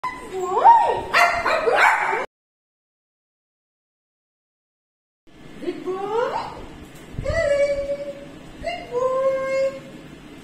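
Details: Pet Shih Tzu named Leo, acting possessive and jealous, gives high, wavering whines in two bursts separated by a silent gap, with a person's soothing voice mixed in.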